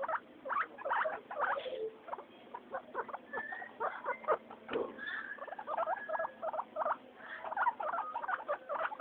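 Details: Pet guinea pigs Mayumi, Archie and Miyuki during floor time, quick bursts of squeaky wheeks alternating with brief pauses, several longer level whistled squeals mid-sequence, and faint pattering underneath.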